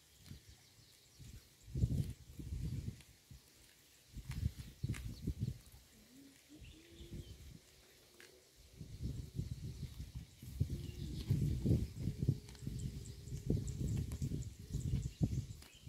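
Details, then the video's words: Cow grazing on roadside grass, recorded up close: low, rhythmic crunching and tearing bursts from its mouth in irregular clusters, with pauses between, plus a faint steady hum partway through. "The Unique Sound of a Cow's Mouth Eating Road Grass"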